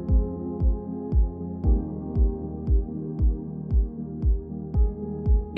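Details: No animal sound; a steady electronic beat thumps about twice a second under sustained synthesized tones.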